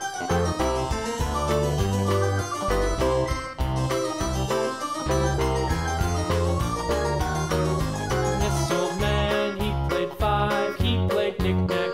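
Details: Bright keyboard music with plucked, harpsichord-like notes and a bouncing bass line plays throughout, with no animal sounds.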